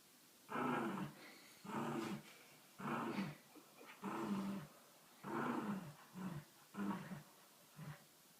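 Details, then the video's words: Dog imitating a motorcycle with a run of about eight revving, growly rumbles, each roughly half a second long, following one another about once a second. "Dog making motorcycle sound"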